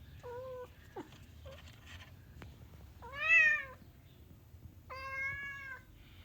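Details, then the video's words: Orange cat indoors, wanting to go outside, meows repeatedly: a short flat meow, brief squeaks, then a loud arched rising-falling meow and a longer steady meow, with a person's voice nearby. "Orange Cat wants to go outside 😭"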